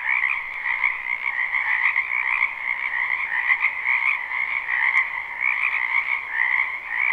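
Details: Dense spring chorus of many frogs croaking in a wetland behind a house, a steady pulsing trill in two bands, one low and one higher, with a faint click near the five-second mark.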